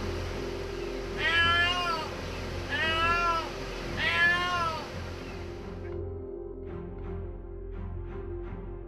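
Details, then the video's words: Mother domestic cat crying on a roof day and night near the pillar where her kitten is trapped: three plaintive, wavering meows in quick succession, then quieter clicks and faint background sounds. "แมวร้องไห้เศร้าเหมือนเมื่อวาน"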